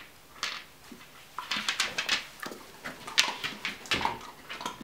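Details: Ibizan Hound puppy aged twelve weeks, busy with a ball, gives a quick series of thin, high yips and whimpers, several per second in the second half, with soft rustling between them.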